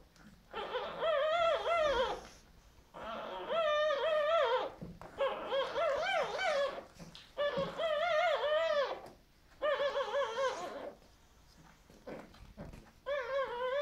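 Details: Ten-day-old Boxer puppies while nursing, indoors: high, wavering, tonal whines come in bouts of about two seconds, five bouts with short quiet gaps, each whine bending up and down in pitch.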